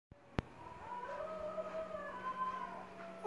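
A Basenji sings a wavering, yodel-like tone that slides up and down over a faint hum.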